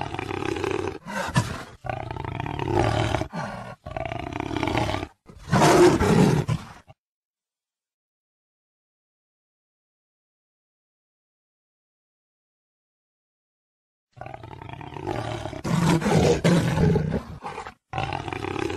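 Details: Jaguar roaring in a series of harsh, rasping, grunting bursts repeated in quick succession, broken by a long stretch of complete silence before the hoarse roars resume.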